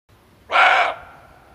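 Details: Male barking deer giving a lone sharp bark, a hunting lure sound, short and gruff with banded harmonics and a brief decaying tail, faint low rumble underneath.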